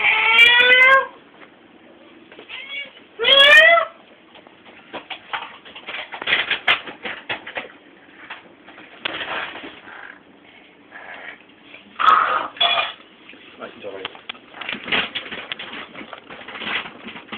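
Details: Pet cat giving two short loud meows early on, then rustling, clicks and handling noises, with a faint higher call around twelve seconds.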